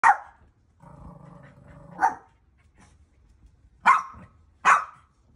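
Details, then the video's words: Dogs barking on seeing fire for the first time: sharp broadband barks at the start, near two seconds, and twice near the end, with a low growling rumble in between; a person says "come on" afterwards. "Dogs see fire for first time"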